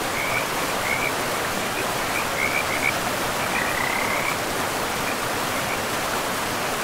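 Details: Frogs by a river in a pristine forest, giving short chirping calls in small clusters, several notes in quick succession, over a steady rushing of river water that fills the background.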